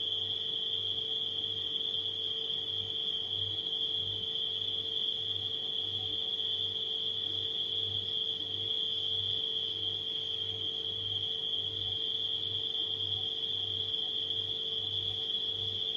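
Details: Nighttime crickets keep up a constant high-pitched trill for the whole stretch, mixed with a refrigerator's low hum that swells and fades in regular beats roughly every second, plus a thin electrical tone.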